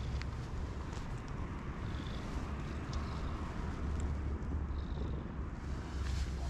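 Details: Black-masked hachiware (black-and-white) domestic cat in a park, being petted; a low, steady rumbling purr runs continuously under faint handling and rustling noise.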